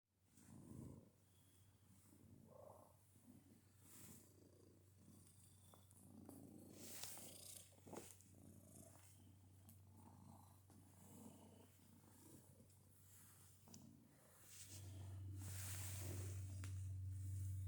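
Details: Purring cat making odd noises while it purrs: a soft, low, rumbling purr pulsing about four times a second, broken by brief higher snorts and squeaks, with a steady low hum that grows louder near the end.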